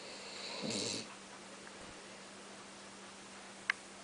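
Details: Sleeping Basset Hound Oliver (Mr. Man) gives one brief rasping snore near the start, then quiet breathing-level background with a steady low hum and a sharp click near the end.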